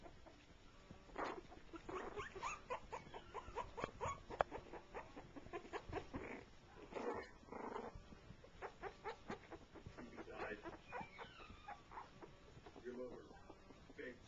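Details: Jack Russell Terrier pups three weeks old at their first playdate, a four-month-old pup joining; scattered squeaky whimpers and short yelps come in irregular bursts amid shuffling and scratching noises.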